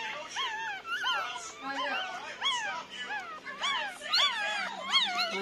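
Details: Nine-day-old Pomeranian puppies crying continuously, a dense run of overlapping high whines that rise and fall, several pups calling at once, some cries drawn into longer wails, music faint underneath.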